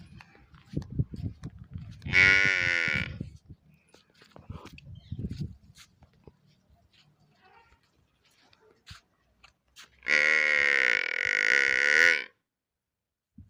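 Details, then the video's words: Two loud, nasal bleating moos from a village water buffalo calf, the first about a second long and the second about two seconds, separated by a long gap of soft rustling and faint low noises. "buffalo original sound"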